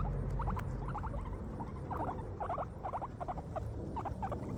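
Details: Guinea pigs chewing grass, producing clustered crunchy clicks in short grouped bursts roughly every half second, fairly close and clear above a soft low rumble.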